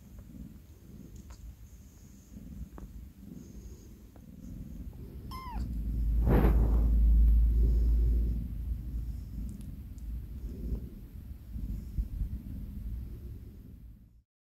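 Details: Young tuxedo kitten whose eyes have recently opened, born to a car park stray mother and sheltered indoors in an office, gives one short, soft, high meow midway, set over a steady low purring rumble, followed by a dull thump.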